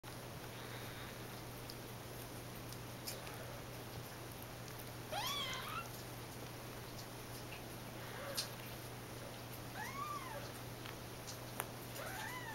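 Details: Two foster kittens named Brutus and Runty, about 3.5 weeks old, from the San Martin Animal Shelter in Santa Clara County, wrestling; several thin, high arching mews, some rising then falling, over a steady low hum.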